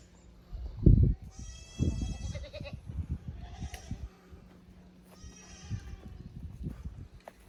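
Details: Young goats from the lower pasture visiting the upper pasture at a handmade goat farm in Japan, May 15, 2024; two quavering harmonic bleats about three seconds apart over low thumping and rustling.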